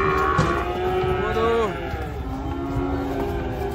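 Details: A herd of cattle coming down off a truck, one animal angry; a long moo that bends downward partway through and then trails off lower, with background music and a man exclaiming.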